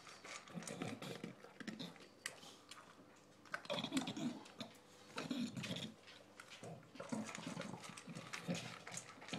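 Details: Shaft, an adopted English bulldog, noisily eating his dinner: grunting, slurping chews and wheezy snorts coming in clusters separated by short quieter gaps, indoors in a small room.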